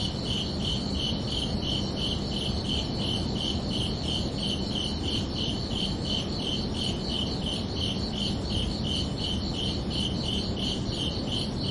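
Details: Crickets chirping under a night sky, steady high pulsed trills about twice per second without pause, over a constant low broadband hiss and rumble.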